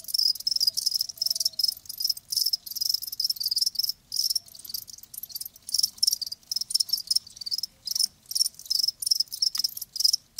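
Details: Chorus of live crickets, shrill high-pitched pulsed chirps in dense bursts separated by brief gaps, steady and continuous, quiet low rumble underneath.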